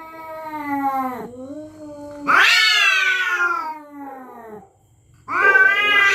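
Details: Territorial cats at night threatening each other: a drawn-out, wavering low yowl with rich harmonics, then a much louder, harsh rising wail that slowly sinks and fades, and a fresh loud yowl bursting in at the end.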